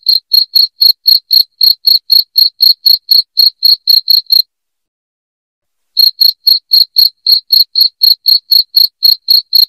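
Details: Piercing cricket chirps intended to drive rats away indoors: quick, even high pulses around four per second, a silent gap of about one and a half seconds, then the same ringing rhythm again.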